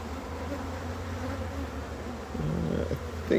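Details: Honey bees at a hive during harvest and expansion, giving a steady low droning hum that holds evenly for several seconds, swelling slightly toward the end with a few faint knocks.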